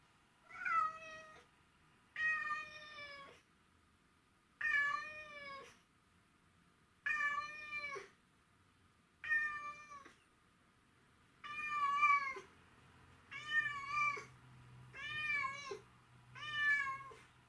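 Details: Mimi, a pet cat missing her owner, meows indoors in a long series of drawn-out, wavering meows, about nine in the clip, each lasting roughly a second and spaced one to two seconds apart, with a faint low hum beneath.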